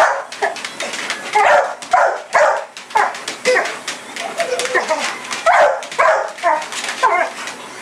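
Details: Sasha, a pit bull, barks while chasing a red light around the yard at night; short punchy barks repeat roughly every half second to second in a steady excited run, with faint human speech.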